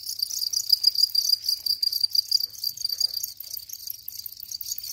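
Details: A house cricket sings in quick, pulsing bursts of high, bright chirps, loudest early on and dipping slightly toward the end, with a faint low hum beneath.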